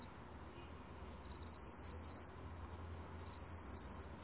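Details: A black cricket, recorded in 2020 by Korea's National Institute of Biological Resources, sings high, buzzy trills lasting about a second, with short pauses between them.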